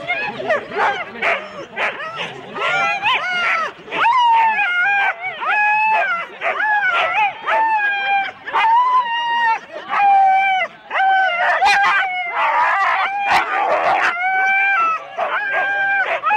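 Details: Huskies in four-dog sled teams at the start in Rendlesham, January 2016: a dense overlapping chorus of high, wavering yelps and howl-like cries from many dogs, some sliding up and down in pitch, continuing almost without pause.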